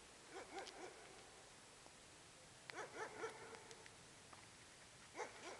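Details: Young male French bulldog letting out short, high, yelping barks in three separate bursts of two or three quick yips each. The bursts are spaced a few seconds apart, with quiet indoor room sound between them.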